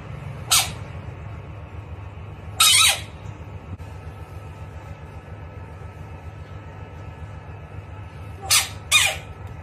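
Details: Bullfrog screaming during a fight with a rat: four short, harsh, broadband shrieks, two of them close together near the end, spaced by several seconds over a steady low hum.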